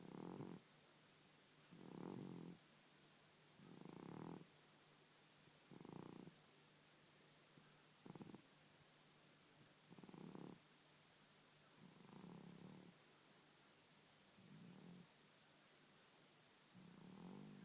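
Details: Old male house cat asleep and snoring loudly, his snoring grown worse with age: rhythmic low rasping breaths roughly every two seconds, nine even bursts with faint hum between them, no other sounds.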